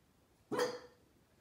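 A Basenji gives a single sharp, brief bark that fades quickly into quiet.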